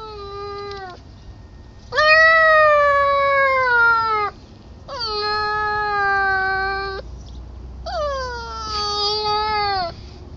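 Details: Baby puppy crying to be let in at an opened sliding glass door; four long, steady, plaintive whines, each lasting two to three seconds, separated by short pauses.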